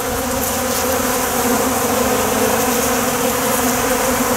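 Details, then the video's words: Honey bees crowding the ground to drink water sweetened with honey spilled from wax cappings. Steady, unbroken droning hum of many wings at even loudness, no other clear sounds. "wow I don't know if you can hear all the bees that are on the ground right now"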